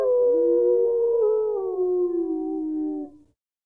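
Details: Wolf howling in the wilderness: one sustained, steady howl that sinks slowly in pitch over about three seconds before breaking off abruptly, with a faint low rumble underneath.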